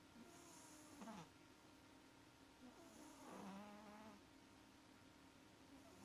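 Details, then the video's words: Snoring cat Maxi, asleep and dreaming: raspy, buzzy inhales with squeaky nasal whistles, two drawn-out snores about two seconds apart, backed by a faint steady hum indoors. "CAT MAXI IS SNORING LIKE A DRUNKEN SAILOR - SWEET DREAMS - КОТ МАКСИ ХРАПИТ"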